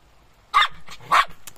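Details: Jack Russell Terrier barking while digging, questioned by its owner: two sharp, short barks about half a second apart, followed by softer yips and faint rustling.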